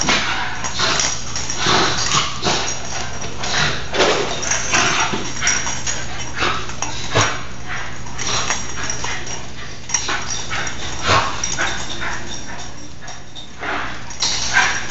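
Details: Two nine-month-old Basenji sisters play wildly indoors on a rainy day, giving rapid yips, whines and rough scuffling noises in a busy, overlapping burst.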